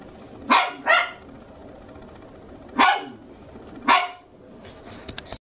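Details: Two-month-old red male Toy Poodle puppy, born December 11, lively and energetic, indoors in a house in Machiya, Arakawa, Tokyo. Four sharp, high yappy barks: a quick pair, then two single barks about a second apart, over quiet room hiss.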